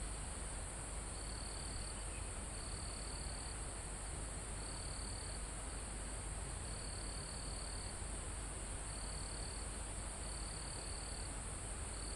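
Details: Crickets almost at the top of a forested mountain, recorded live: seven evenly pitched high trills, each under a second, with brief pauses between them, over a constant high insect hiss and a calm wind in the trees.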